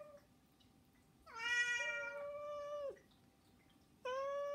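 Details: Begging cry from one of three pet cats, Saba, Hana and Mizore: a long, loud, steady meow lasting over a second that drops sharply at the end, followed by a second meow starting after a short pause.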